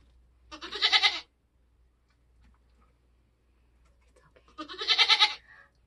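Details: Homestead Nigerian Dwarf goat giving birth: two loud, quavering bleats about four seconds apart, each under a second long, with near silence between them.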